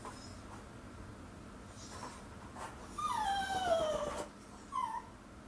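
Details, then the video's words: Toy Poodle named Ggoni, left home alone and waiting by the door for the family, gives a single drawn-out whine that slides downward for over a second, followed by a short second whimper, with faint rustling in a quiet room. "이 강아지는 이 자세로 하루종일 주인을 기다립니다.ㅜㅜ"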